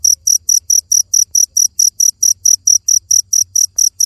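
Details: Cricket song: crisp, high, buzzy chirps repeated regularly, around eighteen in a few seconds, with a faint low murmur in the background.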